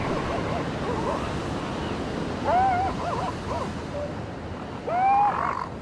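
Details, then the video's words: Seal pups on a beach give two wavering, harmonic cries, each rising then levelling off, about two and a half seconds apart, over steady rolling surf and wind. "Beach with Seal Pups and waves sounds"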